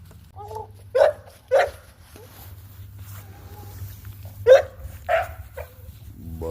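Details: Presa Canario dogs barking: four sharp, deep single barks in two pairs, roughly half a second apart, with a long pause between pairs, over a low steady hum and some voices.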